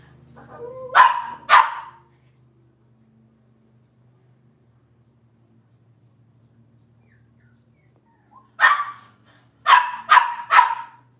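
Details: Cavalier King Charles Spaniel puppies from Robin's litter, indoors on a kitchen cam: two sharp, bright barks, a long quiet gap with faint low hum, then a quick run of four barks near the end.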